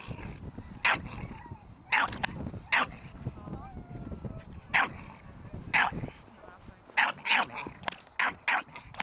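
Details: Ares, a Staffordshire Bull Terrier puppy, in protection training with a handler: sharp, short barks in uneven bursts, some in quick doubles and triples near the end, with a man's voice talking low between them.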